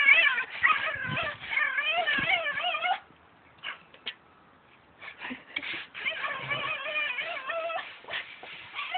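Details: Pet dog making strange noises at a brush: wavering, warbling whines that wobble up and down in pitch, packed densely for three seconds, then a quiet pause with a few faint sounds before more warbled whimpers resume.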